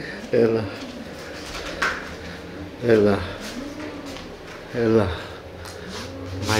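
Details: Cat reacting to edible toys, indoors, giving three drawn-out, harmonic meows that fall in pitch toward their ends, spaced about two seconds apart, with a human voice speaking softly between them in a small room.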